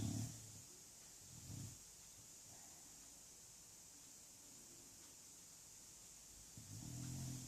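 An English Bulldog snores in low, rumbling breaths with long quiet gaps between them.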